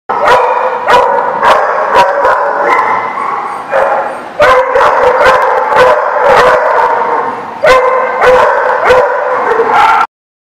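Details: Several dogs barking together at a place called the barking lot, recorded 10/3/16; dense overlapping barks and yips nearly continuous through the clip, with brief pauses and a sharp stop at the end.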